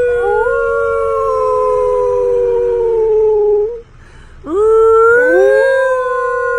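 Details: A gray wolf in a car, howling along with its owner, gives long, smooth howls that slide slowly downward, then swoop up again after a pause.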